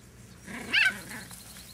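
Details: Dachshund at a kennel in Marble Falls, Texas, giving one short, high-pitched yip over a low steady hum, followed by quiet background.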